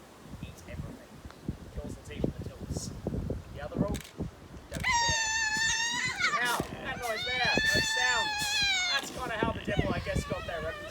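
Tasmanian devils screech and snarl at each other while feeding, after a stretch of crunching and scuffling.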